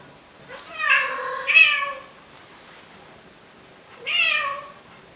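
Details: A male cat in Athens, Greece, pleads with a female Siamese cat to mate. He gives a two-part wavering meow that rises and falls, then after a pause a shorter, upward-bending meow, in a quiet room.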